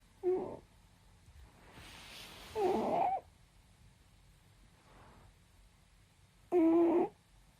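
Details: Sleeping pet cat snoring softly on a warm night indoors: three breathy, slightly voiced snores spaced about three seconds apart, the middle one longest, over a quiet room with faint background hum.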